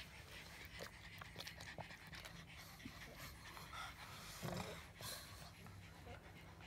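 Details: A pug makes a steady low, gravelly grumble mixed with panting-like breaths, with a short louder throaty flick near the middle.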